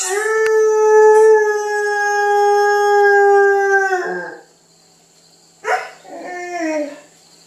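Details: Female Catahoula Leopard Dog named Tango, indoors, singing to demand breakfast: a long steady howl held about four seconds, then silence and short falling whines and yelps.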